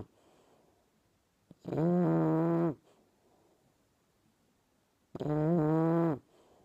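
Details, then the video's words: Sleeping English Bulldog puppy called Dobi gives two drawn-out, buzzing snores of about a second each, separated by a quiet gap of roughly two and a half seconds with soft breath noise. "Английский бульдог храпит!"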